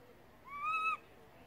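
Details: ['Baby monkey crying loudly for its mother after she moved far away: one half-second tonal wail that rises quickly, then holds steady and high with a bright overtone, against a quiet background.']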